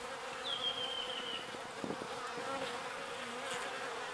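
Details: Small bees foraging on pollen and carrying it back to the hive, giving a steady, even buzzing drone, with a brief descending bird whistle near the start.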